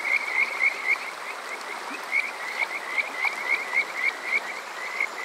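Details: On a summer night at Water Park Shirayama, Yokoze, Saitama, Japan, a Kajika frog gives clear, short upward-sliding whistles in a steady rapid string, about four a second, with a running stream behind; TASCAM DR-05X recording.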